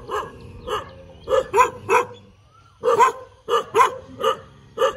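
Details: Dog barking while wagging its tail: about eleven short, sharp barks, some in quick pairs, with a brief pause midway and a fairly steady rhythm otherwise.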